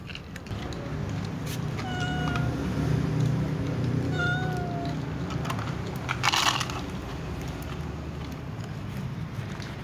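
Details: Cat meowing for food with other cats nearby: two short meows about two seconds apart, the second slightly falling, amid a steady low rumble and a burst of noise.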